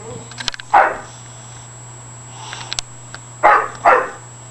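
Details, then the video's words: Pet bulldog Scarlett, a female, going crazy indoors after exercise: a sharp bark, then a quieter one, then a close pair of loud barks near the end, with clicks, rustling, faint speech and a steady hum. "Scarlett Lee the Bulldog goes Crazy"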